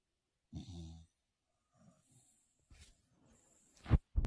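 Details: Small female dog, Paquita, sleeping and snoring in a snoring contest: one low, rumbling half-second snore, then faint soft breaths, ending with a few sharp clicks.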